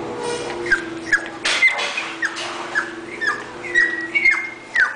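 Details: English bulldog, a bred puppy, giving high, thin whimpering yips, about two per second in short downward-sliding squeals, over a faint steady hum.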